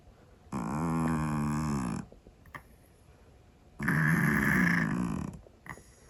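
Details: Scottish Fold cat asleep and snoring loudly in a room: two drawn-out, hoarse, wavering snores roughly three seconds apart, with quiet between them.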